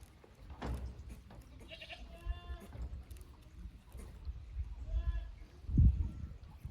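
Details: Young goats exploring an unfamiliar upper pasture at Yoshigake goat farm, Japan, on 15 May 2024. Two clear, quavering bleats rise over soft rumbling background noise, one around two seconds and another near five seconds.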